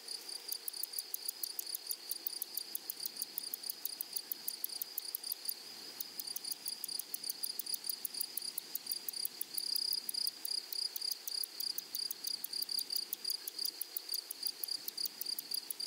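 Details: Grasshoppers singing in a flowery meadow: dense trains of sharp rapid clicks over a constant high whine, the pulsing briefly easing near the middle before resuming strongly.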